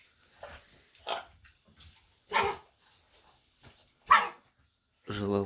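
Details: A Labrador gives harsh, dry hacking coughs in short bursts, diagnosed as kennel cough, an infection caught while boarded for several days; owners first thought it had eaten sticks, and it was treated with antibiotics.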